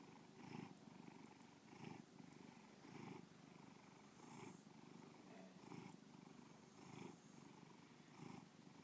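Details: Continuous low purring from Bubba, a domestic cat, its throaty rumble pulsing in regular swells roughly every 1.2 seconds, about seven surges in a quiet setting.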